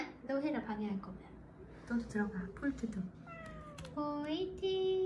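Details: Fading little kittens rescued on a drive home from a family funeral mew repeatedly in thin, wavering, descending cries, mixing with human voices in a small room.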